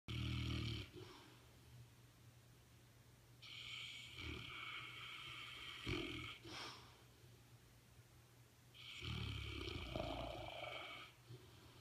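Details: Dozer, a French Mastiff (Dogue de Bordeaux), snoring away while asleep: long rasping, breathy snores in three main bursts across twelve seconds, each a rough drawn-out rattle with a low rumbling base, separated by quieter breathing and a steady low hum.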